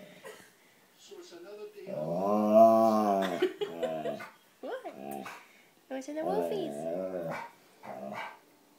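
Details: Alaskan Malamute talking back to the TV, giving a long arched howl-like woo that swells and fades over about two seconds, then shorter wavering moans and yips, with faint background sounds.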